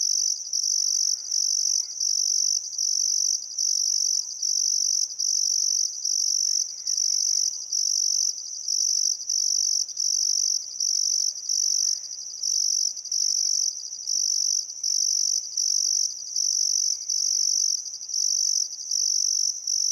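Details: In Welford National Park beside the Barcoo River, Outback Queensland, crickets chirp through a still summer sunset: an unbroken run of shrill buzzy bursts, each under a second, repeating rhythmically. Faint, soft bird calls are scattered underneath.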